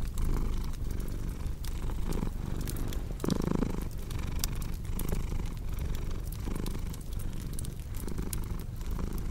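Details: Purring cat, deep rumble pulsing in breath-length cycles, with a brief brighter burst near the middle and frequent crackling pops of a fireplace behind.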